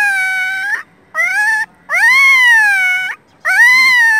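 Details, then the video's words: Loud, sustained high-pitched whines from newborn puppies, one of four found by a roadside with their mother close by, each cry held about a second and slightly arching in pitch, repeated four times with brief silent gaps. "New Born Puppies"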